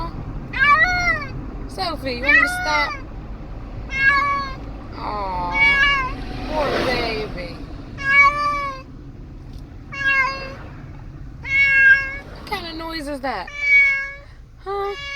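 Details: Pet cat that seems unhappy riding in a car, crying with baby-like meows about every two seconds, some rising and others falling, while a person talks soothingly and vehicle hum runs underneath.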